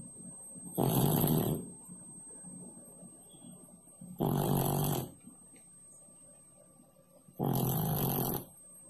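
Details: Three clear, breathy snores from the sleeping cat Pak Pak, resting beneath the stove, each lasting under a second and coming about every three seconds in an otherwise quiet room.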